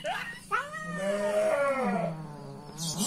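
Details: Pregnant house cat angry at being teased: one long, drawn-out moaning yowl that slides slowly up and then down, with a short sharp cry near the start and a brief noise burst at the end.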